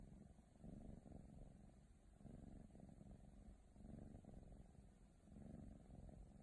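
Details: Female Ragdoll kitten purring indoors, a low rumbling purr swelling and fading with each breath, roughly every one and a half seconds, steady and continuous throughout.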